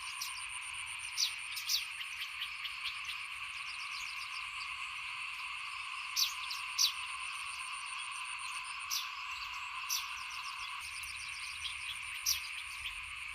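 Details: A chorus of small frogs near a house during rice sowing, 2021, heard as a quieter, continuous shrill drone, punctuated by scattered sharp chirps and ticks from other small callers.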